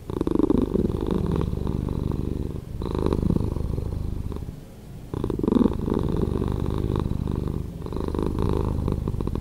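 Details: Slowed-down purr of a house cat: a low, steady, vibrating drone that swells and fades with each breath and sags in a short lull around the fourth second. No other sounds.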